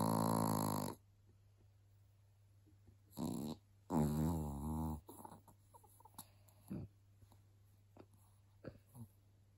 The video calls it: Att något så litet kan snarka så högt 😂😂😂 älskade Lizzie ❤️ chihuahua